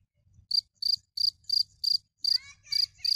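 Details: Cricket chirps sound as evenly spaced, sharp, high pulses about three per second. A few faint warbled notes from another creature enter near the end.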